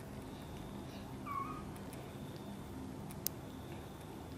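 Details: Indoors, an angry mother cat reacts while her kitten Guitar is helped out of a box and brought near her: one brief, clear meow that rises and falls, set against a steady low room hum.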